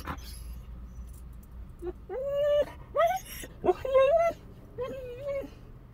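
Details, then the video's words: Lone husky puppy Bandit sings in the car: a series of short nasal whines and wavering half-howls, each under a second, separated by brief pauses against soft background rumble. "When you leave a husky puppy alone in the car"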